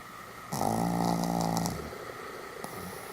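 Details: Sam, a Pomeranian dog, sleeping soundly indoors on 1 November 2015, gives one long, steady, droning snore of a little over a second with a rich buzzy tone, then a quiet pause and the start of a softer breath.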